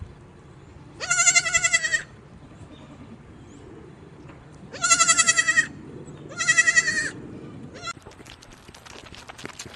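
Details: Baby goats on a mountain farm bleat three times at intervals of a few seconds, each a high, tremulous cry of under a second, followed by faint clicking and rustling.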